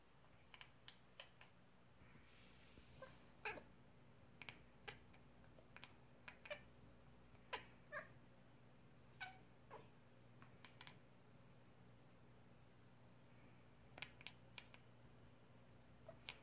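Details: Pet cat making weird sounds: a scattered run of very short, clicky chirps and chattering bursts at irregular intervals over about sixteen seconds, with a steady low hum underneath.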